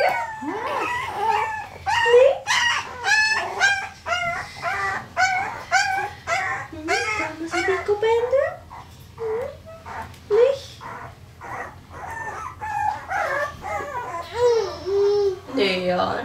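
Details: Several Parson Russell Terrier puppies in Tampere, Finland, filmed with a Sony FDR-AX100, producing overlapping squeaky whines, short yelps and rising little howls in dense bursts, thinning to scattered upslurred whimpers toward the end, with faint human voices.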